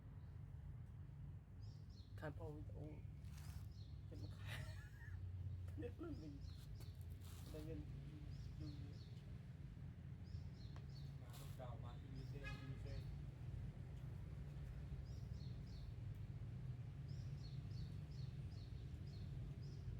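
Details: Newborn baby kittens huddled asleep after feeding let out scattered squeaky cries, some in quick trembling bursts, spaced several seconds apart against a constant low rumble and soft high chirping nearby.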